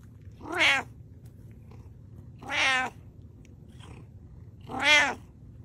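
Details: Domestic cat giving three clear, bright meows roughly every two seconds, each bending up then down in pitch, against low steady background hum.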